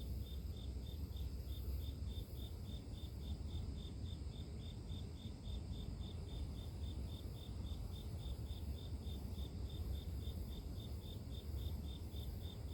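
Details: A grass insect keeps up a regular, high-pitched pulsing chirp, close to three beats a second, never stopping, beneath which a continuous low rumbling noise dominates.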